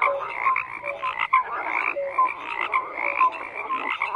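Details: Dense chorus of croaking frogs, raspy overlapping calls interspersed with short clear tonal notes repeated irregularly, steady intensity throughout.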